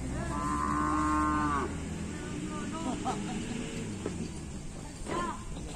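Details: Bull at a kerapan sapi race, said to be raging, gives one steady, even-pitched bellow lasting over a second, then a brief rising call near the end, against a dense, noisy crowd background.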